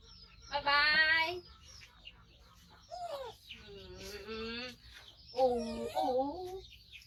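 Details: Five-month-old male baby monkey, rescued from a hunter and living with his carer, crying loudly while waiting to be fed; three separate bursts of strained, harmonic wails that waver up and down, with quiet pauses between them.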